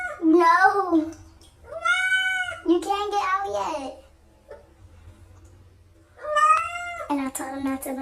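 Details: Domestic cats talking indoors, giving a run of drawn, arching meows, some rising then falling, others flat and wailing, in bursts separated by a quiet gap of about two seconds, with a person's voice in the room.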